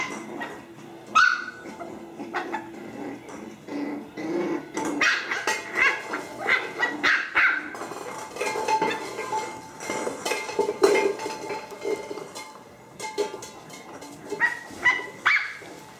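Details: Puppies at play, growling and yapping in bursts, short sharp barks scattered across the stretch, with louder clustered barks toward the end amid scuffling.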